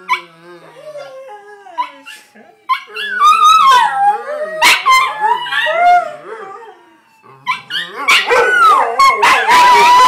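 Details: Stirred up by sirens from Grand Theft Auto, Johnny Rotten, a Miniature Pinscher/Chihuahua mix, lets out a long run of warbling howls and yips that swoop up and down, with a faint siren tone behind.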